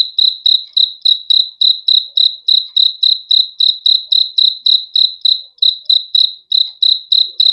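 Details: Cricket sound for a good sleep: rapid, even, high-pitched chirps pulsing about three to four times a second, with a couple of brief gaps in the rhythm and no other noise.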